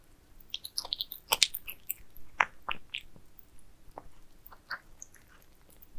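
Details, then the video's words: Pet cats eating minced meat shaped into towers, with soft smacking chews and crisp bites scattered irregularly about once a second in a quiet indoor room. "Cats eating minced meat towers asmr"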